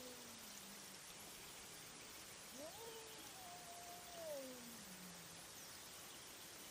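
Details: Night-time cat fight picked up on a trail camera: a single quieter, wavering wail that rises, holds, then dips, with a lower drawn-out moan sliding downward from a second cat, under heavy steady hiss.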